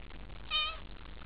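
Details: A cat at a nightly cat gathering, asking to be petted: a single short, clear, tonal meow rising slightly then falling, lasting about a third of a second against quiet background hiss.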